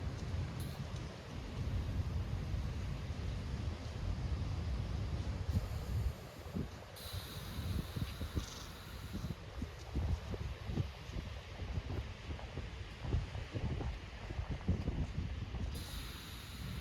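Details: Southern elephant seals on Macquarie Island snore on 23 December 2024 with low, gravelly rumbles and irregular, wet snorting breaths that rise and fall in bursts, over a faint hiss of wind or distant surf.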